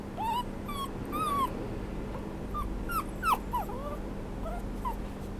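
A small Maltese-Yorkie mix dog whimpers in short, high, whiny rising and falling notes.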